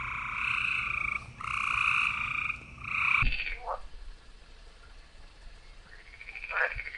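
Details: Green frogs give three loud bursts of buzzy, pulsing croaks over the first three seconds. Quieter scattered notes and soft background noise follow.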